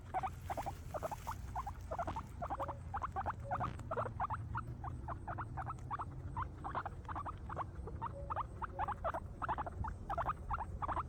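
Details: Happy guinea pigs feeding on grass make a fast run of brief, bright squeaks, nearly continuous, over a soft low rumbling background.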